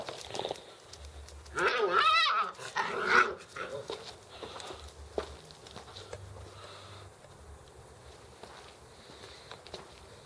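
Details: Alaskan Malamute puppies, in November 2013, give a burst of high, wavering whines and yelps, then fall quiet.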